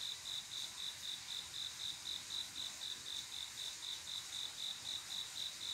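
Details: A male cricket's mating call on a still summer night: shrill, closely spaced chirps repeating steadily at about four per second against soft background hiss.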